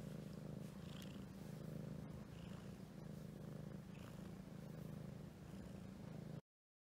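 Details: Purring from a Domestic Shorthair cat up for adoption, 30 March 2018; an even, low vibrating rumble pulses without a break for about six seconds, then stops abruptly.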